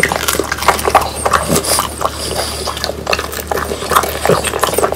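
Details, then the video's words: Dried, crisp whole quail being eaten by French Bulldogs Pang, Kun and Ppo; bright crackly bites and wet mouth sounds alternate rapidly, crunches clustering in short runs with brief pauses. "강아지 먹방 ASMR 통메추리를 건조시켜 바삭하게 먹어봤어요"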